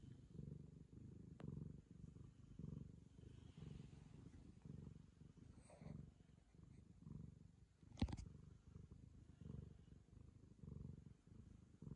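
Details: A Ragamuffin cat purrs as it licks a girl affectionately. The low, grainy rumble pulses evenly throughout. A sharp tap sounds around the eighth second, and quiet room noise runs beneath.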